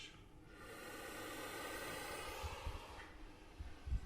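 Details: A captive puff adder in a venom unit, provoked by a pole-mounted microphone it bit, gives its alarming defensive puff, a long breathy hiss lasting a few seconds like heavy breathing, followed by soft low thumps.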